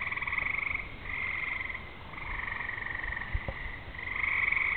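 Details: Frogs singing on a summer evening as rain approaches, with fireflies out and thunder in the distance: dense, overlapping pulsed trills that swell and fade in waves, with a brief low thump midway.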